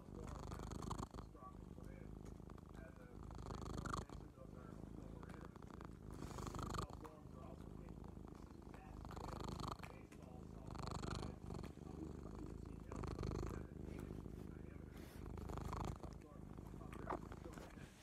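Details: Male domestic cat giving a very loud purr, a rough droning rumble running unbroken for eighteen seconds, rising and falling in regular breath-paced swells roughly every three seconds.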